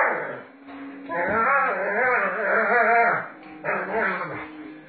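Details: Doberman Pinscher roughhousing with its owner, producing a long, wavering, moaning growl whose pitch rises and falls in repeated waves, briefly pausing before resuming.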